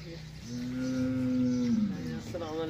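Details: Cattle on a farm: one long, steady, low moo lasting about a second and a half that ends with a slight downward slide, followed by a brief man's voice.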